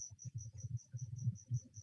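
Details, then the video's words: Crickets singing in a leopard gecko tank indoors, a steady series of high, shrill chirps, about five or six each second. "there are crickets singing right now in my leopard gecko tank"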